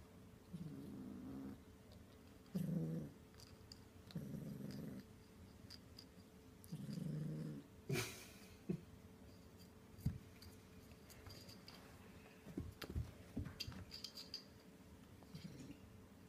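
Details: Playing with a yo-yo, kittens give low, rumbling cat growls in short bursts of about a second, followed by scattered knocks and clicks.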